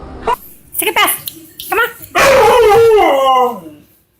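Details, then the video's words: Dog giving strange vocal sounds among a person's speech: short yips at first, then a loud, wavering howl that falls in pitch before fading out. "These dogs made the weirdest sounds ever"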